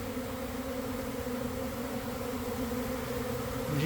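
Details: A big honey bee swarm checking out an empty hive box: thick, unbroken buzzing drone with layered low tones, slightly louder toward the end.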